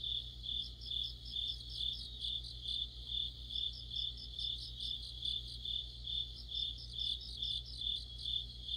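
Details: Deepening autumn night chorus of crickets and fellow insects beside a streetlamp: unbroken high trill plus repeated chirping pulses rising and falling about twice each second, steady low hum behind.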